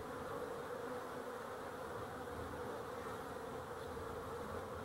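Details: An even, unbroken buzz of honey bees recorded 12-11-23 forms a constant mid-pitched hum with a clear tone band, with no other sounds intruding.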